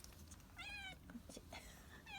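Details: Kitten, a former stray, being given a lickable treat indoors; short high meows with clear stacked harmonics, two rising-falling mews about a second apart and another at the end, with soft handling sounds and faint voices between.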